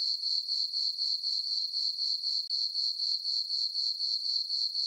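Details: Night crickets in a farm meadow beneath a full moon on a summer evening: a piercing, metallic chirp rhythm of about four pulses per second, uniform throughout, no birds, wind or voices.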